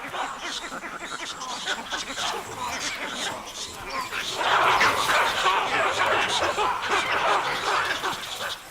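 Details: A troop of baboons in African wild country barks harshly and rapidly, with many overlapping alarm calls while harassing leopards, alongside vervet monkeys and squirrels.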